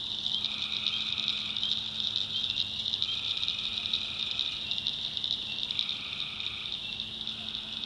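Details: In a North Carolina backwoods swamp at night, tree frogs keep up a dense shrill pulsing chorus, while overlapping raspy trills of one to two seconds repeat about every three seconds over a faint low drone.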